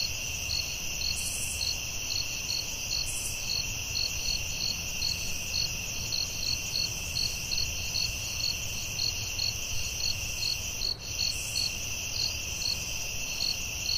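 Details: A forest chorus of crickets after dark: rapid regular chirps over a constant piercing drone, with brief higher hissing bursts early on and a short dip near the end.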